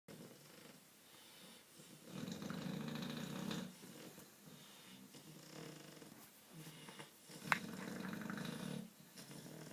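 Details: Two English bulldogs snore loudly, with deep, rumbling, rattling breaths rising and falling in slow cycles.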